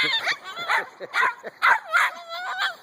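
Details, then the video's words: Two-month-old Husky puppies waking up in the morning, letting out a burst of whiny, rising yips and short howls, several voices overlapping in about eight quick bursts over three seconds, with a person talking to them nearby. "Husky Morning wake up call"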